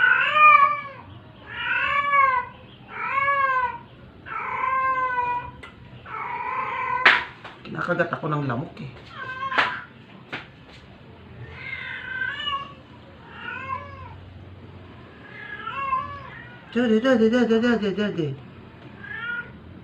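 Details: Sick, dying stray cat meowing while being force-fed to survive: a long run of about a dozen arched, harmonic meows, each under a second, spaced roughly a second apart, with a few sharp clicks and knocks between them and a longer, strained wail near the end.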